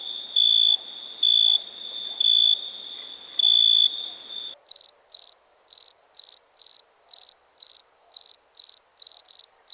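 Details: Cricket chirps: about five seconds of slow, pure, high chirps roughly once a second, then an abrupt switch to shorter, slightly higher, faster chirps in quick, regular bursts over near-silence.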